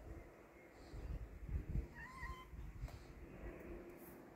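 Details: Brave kitten meeting a cat: one brief, bright meow arches up and down in the middle of the clip, surrounded by low rumbling and soft thuds.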